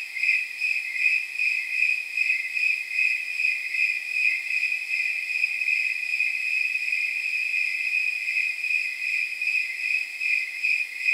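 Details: Nighttime snowy tree cricket chorus, estimated at about 79 degrees: a sustained shrill ringing broken into regular jingling chirps, steady and evenly timed throughout, with no background noise.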